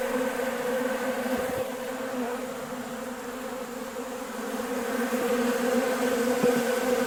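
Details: Honey bees feeding at a sugar-water bucket feeder on a nice day, a feeder they drain within a few hours: a steady, low droning hum with layered tones, swelling slightly louder toward the end, no other clear sounds.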